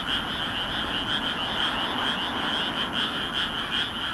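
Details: Many frogs calling together at night in a moonlit rice field in Nagoya, Japan, May 2016, captured with a compact camera; rapid repeated croaks pulsing about two to three times per second over a continuous dense chorus.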